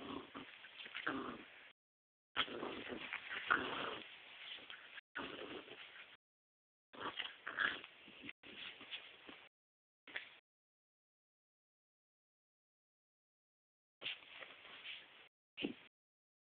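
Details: An American Pit Bull Terrier puppy playing in bed, tugging a sock and startled by her reflection in a mirror, recorded indoors in dim light on an old phone camera; soft whiny whimpers and snuffly noises come in bursts with quiet gaps between.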